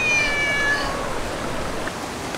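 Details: Domestic cat meowing around dinner time at a rainy valley campsite in Gyeonggi-do, South Korea: one clear, high, drawn-out meow with a slightly falling tone lasting under a second, then steady rain and stream noise.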